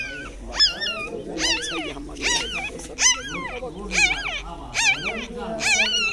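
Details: Mother dog tending newborn puppies about one day old: high, wavering whimpers rich in harmonics, each rising and falling, repeated about once a second in a steady run.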